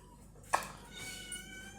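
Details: A pet domestic cat indoors gives a drawn-out, tonal meow after a brief sharp knock; its owner is unsure what it wants, as it already has food.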